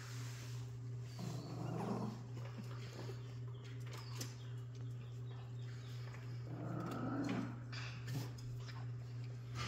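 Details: Jack Russell Terrier puppies, recorded 3/7/2024, give two rough, noisy low growling bursts about five seconds apart, each lasting over a second, over a steady electrical hum indoors.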